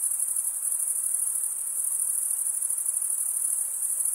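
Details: Cricket chirping, produced by stridulation of the wings, mostly by males: an unbroken shrill high trill with fine rapid pulsing, even in loudness from start to finish, no other animals or voices present.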